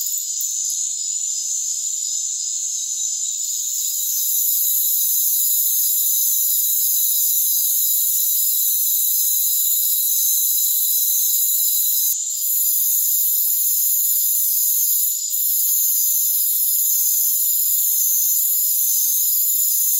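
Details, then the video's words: Crickets calling in a rainforest: a dense, unbroken high-pitched trilling chorus in several steady bands, with no low sounds at all and brief dips in loudness near twelve and fifteen seconds. "Rainforest Crickets"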